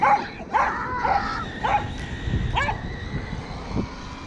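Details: Roku, a Welsh Corgi dog, chasing a Kuroneko Yamato radio-controlled toy car with its tail removed; sharp barks and yips in a quick irregular series, some overlapping, over a low motor rumble.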